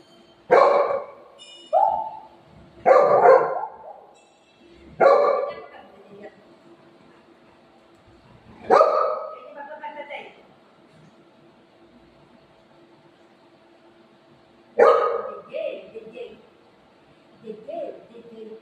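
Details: Pet dogs Buzo and Milo, eager for a rasgulla treat at home: about five sharp, harmonic-rich barks in separate bursts at irregular gaps of two to six seconds, with quieter yips and faint voices between.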